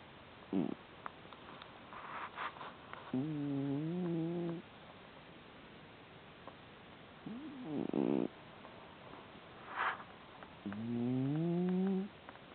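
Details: Hamburger, a pet cat, snoring in its sleep: two long, steady, slightly wavering nasal tones about seven seconds apart, with brief rustling noises between them.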